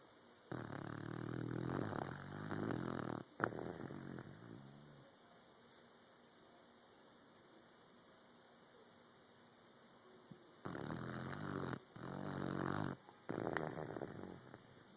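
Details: Dozing puppy with two bouts of coarse, throaty snoring, each a few seconds long and split into choppy breaths, separated by several seconds of quiet room tone.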